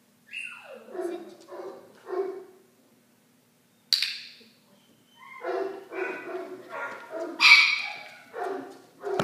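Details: Benji, a 9-week-old Cardigan Welsh Corgi puppy and the family's new addition, lets out a string of short, yappy barks and whines. The first slides downward from high to mid pitch, then bursts repeat roughly every half second, with a sharper cluster later.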